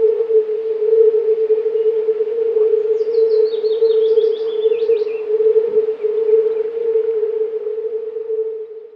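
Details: Several hundred male European fire-bellied toads croaking together for mating, an even low drone, while a bird gives a high, quick descending trill in the background partway through.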